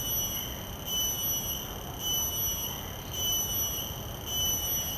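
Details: Common cicada calling in a field recording made with shotgun microphones: a shrill, ringing buzz with bright overtones that swells and dips in steady pulses about once a second, over a low background rumble.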